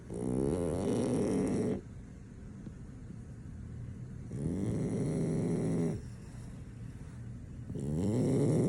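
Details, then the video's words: Asleep and impossible to wake, a French Bulldog snores in loud rasping, harmonic bursts lasting one to two seconds, with softer breathing between them and three snores heard. "French Bulldog snoring, nothing can wake him up"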